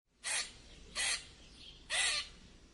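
A squirrel gives three harsh, raspy squeaks, each a quarter-second long and spaced about a second apart.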